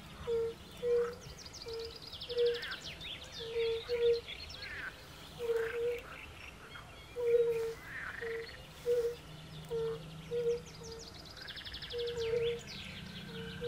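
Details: Chorus of European fire-bellied toads by a forest pond, the low mellow 'oop' notes repeating steadily from several callers, sometimes doubling up, over a backdrop of varied songbird chatter and whistles.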